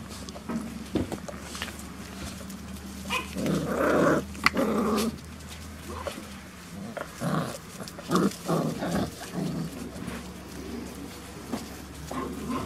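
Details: Five-week-old Beauceron puppies at a breeding kennel on 22 November 2018, just before feeding time. Small scattered growls and yaps come in short bursts, with a person's voice nearby.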